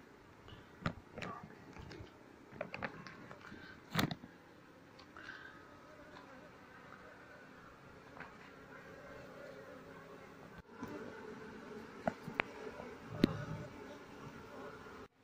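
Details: Honey harvest and relocation of an Asian honey bee (Apis cerana) colony, some bees massed outside the speaker they nested in, no queen found. Continuous buzzing hum broken by sharp handling clicks and knocks.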